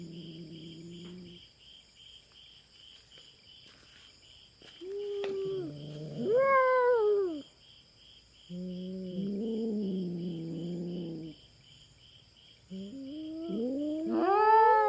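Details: Large, bushy-tailed feral cat invading a Philippine farm cats' territory and squaring off with a black cat: low moaning growls swell into rising, wailing yowls in separate bouts, with constant insect buzzing behind.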